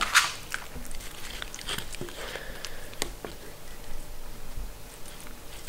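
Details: Mindy, a pet Shetland Sheepdog or Sheltie, eating food in a small indoor room: scattered sharp crunches and bites at irregular intervals, loudest at the very start and near three seconds, over a soft low room hum.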